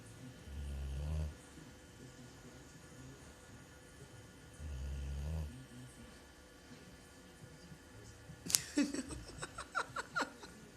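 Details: Sleeping pet dog snoring: two low, rumbling snores roughly four seconds apart, each under a second long, with quiet room noise between and a burst of human laughter toward the end.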